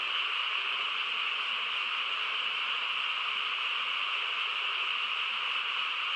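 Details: Frog chorus on a quiet countryside night: a dense, unbroken wall of overlapping calls forms a steady shrill drone with two bright bands, mid and high, and no single caller stands out.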